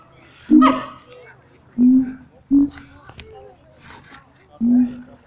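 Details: Captive siamangs at Taronga Western Plains Zoo in an excited display: four loud, short hooting notes, the first harsh and bright, the others steadier, spaced by quiet gaps with faint background murmur.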